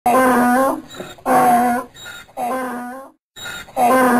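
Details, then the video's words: Donkey braying: four loud, harmonic-rich bursts in quick succession, each a strained tone of under a second with short breathy pauses between them. No other sounds are present. "Som do Burro - Som do Jumento - Som do jegue relinchando"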